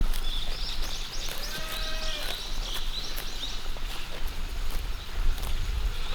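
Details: Female goat named Komame grazing on grass at Yoshigake farm in Himi, Japan, on 11 July 2021; one short harmonic bleat, lasting under a second and slightly falling, over steady outdoor noise, high bird chirps and scattered crisp clicks from chewing or movement.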